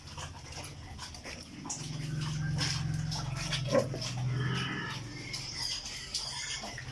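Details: Two sows giving low, rumbling grunts that swell into a sustained throaty groan lasting about three seconds mid-clip, with a brief sharper squeak near the peak and faint clattering in the background.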